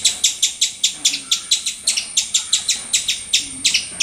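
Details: Squirrel calling very loudly: a rapid, steady series of sharp, high, squeaky chips, about five per second and roughly twenty in all, each note clipped and bright, with only faint background hiss between them.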